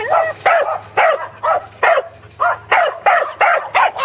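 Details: Corgis Teddy and Jack herding sheep at Island Crossing Farm, Arlington, 27 March 2011, on their second attempt. Full, ringing barks repeat steadily about twice a second, each one arching in pitch.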